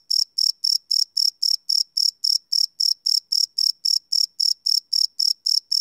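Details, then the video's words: Night chorus of crickets captured live on a Sony PCM D100: sharp high-pitched chirps pulsing regularly, nearly four per second, clean and uninterrupted against a silent background. "Cricket Chirp Sound - Cricket Sounds at Night"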